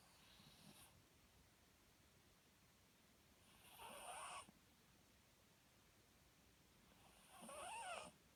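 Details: Papillon dog asleep, snoring in three raspy bursts roughly every three and a half seconds, each breath carrying a faint whistling, wavering tone over a hissy rasp, with quiet room hush between snores.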